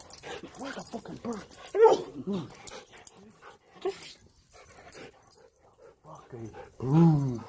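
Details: Reunited with its owner after a week alone at home, a Siberian Husky cries with arching, yodel-like harmonic wails in quick runs, alongside a man's coaxing voice and a loud final howl-like cry.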